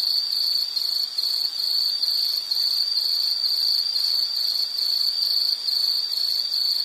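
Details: High, shrill insect chorus of rapid pulsed chirps, roughly two or three per second, running continuously with a thin higher buzz behind it and nothing else audible.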